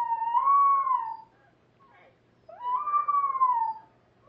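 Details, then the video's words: Pepper, a half dachshund, half pug rescue dog, howling at the computer indoors: two long smooth howls, each rising then slowly falling, about 1.2 seconds apiece, separated by a brief quiet gap. "our dog Pepper howling at the computer"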